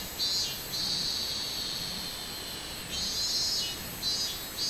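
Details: Robust cicada recorded on 24 July 2016: a steady high buzzing drone, broken by louder pulsing bursts at the start, around three seconds and again near the end.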